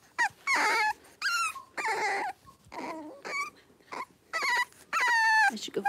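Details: Cavalier King Charles Spaniel puppies, blenheim, from a litter of five born at New Year, playing and wrestling in a home pen; loud, bright yelps and squeals come in bursts about every half second, some bending upward then falling.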